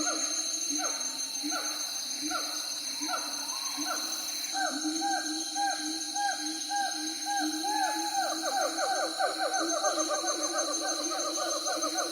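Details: Siamangs calling: a long series of loud, hooting whoops, each note bending up then sliding down, repeated in quick succession and speeding up toward the end, with several voices overlapping over a steady high-pitched tonal drone.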